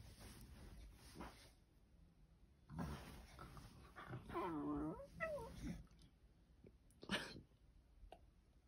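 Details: Beagle making pig-like noises because she cannot get comfortable: soft snorts and grunts, then a wavering whiny moan near the middle, followed by scattered short snuffles and a sharp snort near the end.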